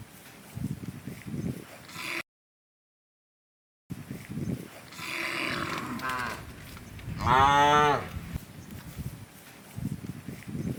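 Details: Large herd of tame cows feeding in rice fields; after a brief silent gap, a soft moo is followed by a loud, harmonic bellowing moo lasting about a second, with rustling and thumping between calls.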